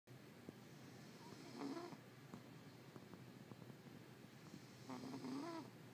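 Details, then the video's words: Domestic cat snoring loudly indoors: two rasping, tonal snores about three seconds apart, each a rough wavering breath lasting under a second, over a faint steady room hum. "My cat is snoring loud"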